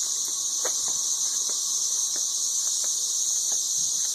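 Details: Massed 13-year cicadas near Nashville, Tennessee, singing ridiculously loudly: a continuous high-pitched hiss-like whine, even and unbroken, with soft ticking sounds in the background.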